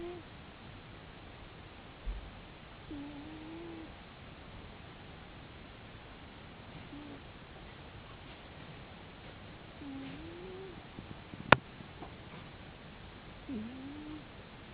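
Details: Sleeping domestic cat snoring indoors: faint, soft whistled wheezes with a slight rise and fall, spaced several seconds apart over a quiet hiss, with a single sharp click near the end.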